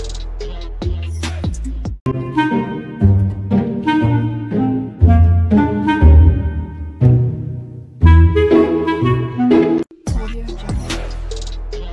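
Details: Jazzy saxophone and woodwind music with bass notes and short breaks, and no animal calls.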